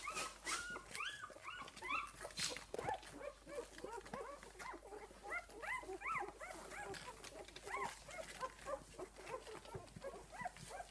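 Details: Quieter, steady chorus of squeaks and whines from Esmée's six-day-old puppies, many small overlapping arched calls over a hissy background with a few brief louder knocks.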